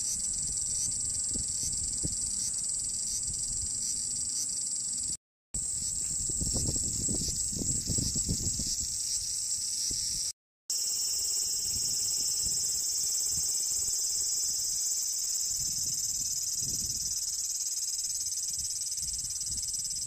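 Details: Large brown cicadas (abura-zemi) singing in summer in Japan, a sizzling 'jin jin jin' likened to frying oil: a dense, steady high buzz held throughout, with two short breaks and faint low rustling beneath.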